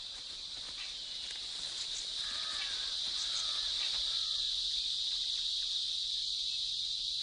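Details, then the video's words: A cicada in India gives a loud, steady, high-pitched buzzing drone without a break: the male's mating song, made by vibrating a body membrane to attract females. "De tous les insectes, c'est la cigale qui a le chant nuptial le plus bruyant."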